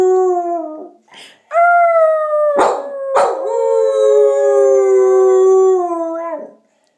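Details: Domestic dog howls together with its owner, giving long drawn-out tonal howls that slide slowly downward and hold for several seconds, with short noisy bursts between them and a final fall as the howl ends.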